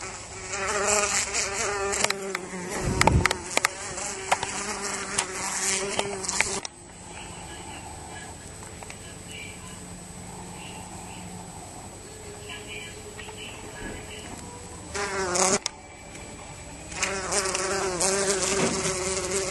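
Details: Teddy bear bee trapped inside a house, loud harmonic buzzing bursts with clattering knocks, a quieter steady hum in the middle, then buzzing resumes strongly.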